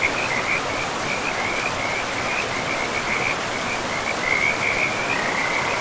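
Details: Frogs calling beside a forest river, pristine and mossy: rapid high croaks in short overlapping bursts run through the whole stretch, layered over a constant hiss of flowing water.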